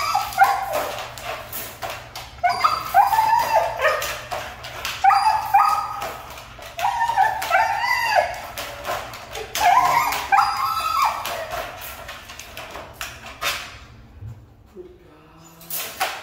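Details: Hard-to-train Siberian Husky producing busy chattering whines and yips in quick succession for about thirteen seconds, then falling quiet before a faint final sound.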